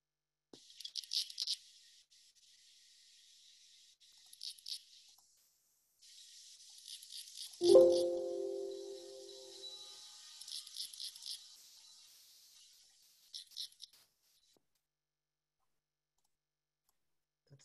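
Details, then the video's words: A chaparral katydid from California sings at night in dry, high-pitched raspy pulses in short bursts, with a brief tonal hum midway. "That's the chaparral katydid."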